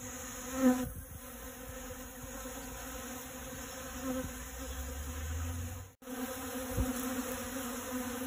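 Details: Honey bee collecting pollen from dragon fruit flowers: a steady, even buzzing hum with stacked tones that sustains throughout, broken by a brief dropout near six seconds, with a low rumble just before it.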